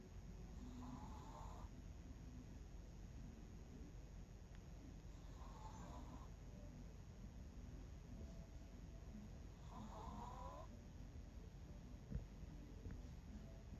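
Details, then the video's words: Bangul, an 11-year-old Miniature Pinscher, snoring while asleep: three wheezy, nasal snores with a faint whistling edge, spaced about four and a half seconds apart over a steady low room hum. "미니핀 코고는 소리"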